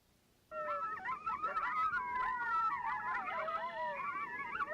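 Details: Several coyotes vocalizing together in a group yip howl, used by a group to mark its territory to coyotes in nearby territories; overlapping wavering high howls and yips start abruptly and continue densely throughout.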